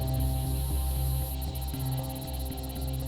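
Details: A low, droning ambient music bed with a steady hum and soft pulsing, no animal voices.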